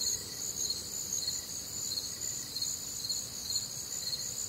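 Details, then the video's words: Crickets chirping on a warm, humid Midwestern summer night, a dense chorus of high, shrill pulsed trills layered in several bands, steady throughout with faint low rumble beneath. "Night Time Cricket Sounds"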